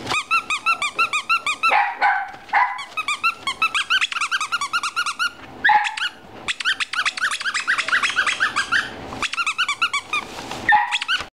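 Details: Young male Beagle with a calm temperament, a pet-shop puppy in Fukushima, Japan, recorded 25 November 2017; long rapid series of high squeaky yips and yelps, broken by a few whining cries, almost continuous throughout.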